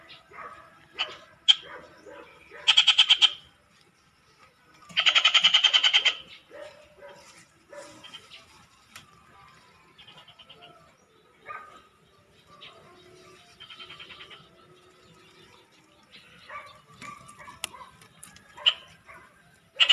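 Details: Two frogs, a person noting how noisy they are, give short buzzy pulsed bursts, one brief and one longer about a second long, between scattered quieter croaks and clicks, with a person talking and moving nearby.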